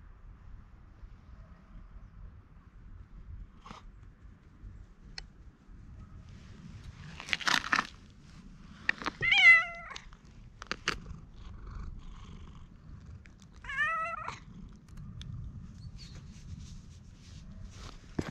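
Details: A stray cat with mask-like face markings is patted and stroked and responds in cat language as if appealing for something, filmed on a GoPro HERO8. Two drawn-out, wavering meows come about five seconds apart, with rustling and handling noises between them.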